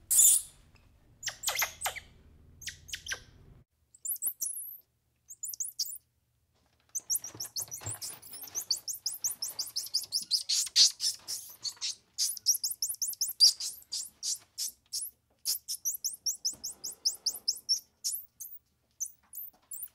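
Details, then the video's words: Squirrel monkey chattering in a long, busy run of rapid high chirps and sweeps, with some low rumbling and noisy clicks at the start, then dense, almost continuous twittering. "Squirrel Monkey Sound"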